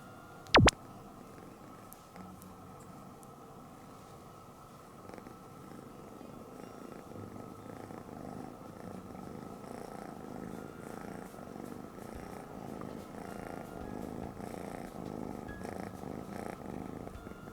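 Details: Norwegian Forest Cat kitten purring while held in someone's arms indoors: a steady low rumbling purr running throughout, growing slightly louder in the second half, with one sharp click near the start.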